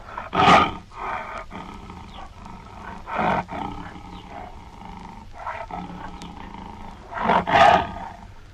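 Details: Tiger, a territorial solitary carnivore of Asia, giving repeated deep broadband roars: three strong bursts spaced about three seconds apart with weaker ones between, over a steady low rumble of background noise.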